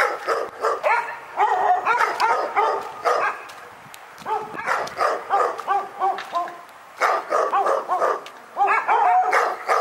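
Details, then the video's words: Persistent dog barking at Pyrga, called a nightmare: fast runs of sharp, tonal barks at roughly three per second, a quieter lull near the middle, then renewed volleys. "Pyrga Barking Nightmare"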